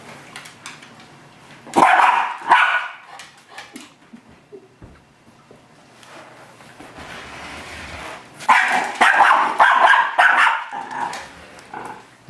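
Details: Miniature Schnauzer named Cadie attacking its own reflection in a mirror, confused: two sharp barks near the two-second mark, then a louder burst of rapid, harsh barking and growly yapping from about eight to eleven seconds, with quiet indoor rustling between.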